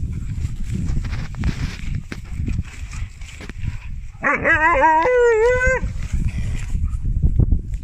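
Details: Siberian Husky puppy Drwg, at a Wales sled dog adventure centre, woo-wooing his big sister into playing zoomies: one strong wavering, rising then undulating howl-like woo of about one and a half seconds amid rumbling paw and handling noise.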